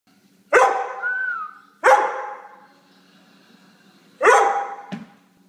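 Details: An extremely hyper Hungarian Vizsla gives three loud, harsh barks, each trailing off briefly, spaced about two seconds apart.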